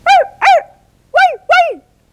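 Short, bright barks come in two doubled bursts, each yelp arching up and dropping away. Such barking can signal wariness or a warning to keep away, or excitement on greeting someone familiar.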